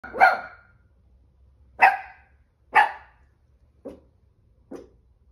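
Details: An anxious Chihuahua puppy, five and three-quarter months old, barks: three sharp, bright yaps about a second apart, followed by two shorter, softer and lower barks near the end; otherwise quiet with a faint low hum.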